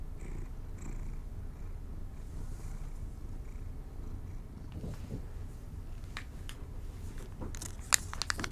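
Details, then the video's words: Domestic kitties given treats in a quiet room: a faint continuous low purr runs throughout, with chewing and crunching clicks growing sharper toward the end. "ASMR Cat Treats for My Kitties"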